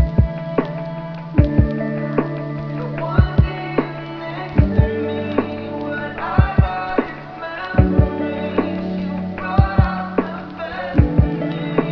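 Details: Soft instrumental music with sustained chords and regular plucked percussive beats about every second or two, no animal sounds.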